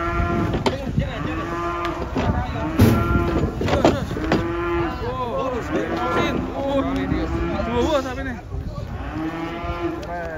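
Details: Cattle arriving by truck for unloading, three head in the group; loud, sustained moos repeated every second or two, some rising and falling, with voices and engine-like rumble beneath.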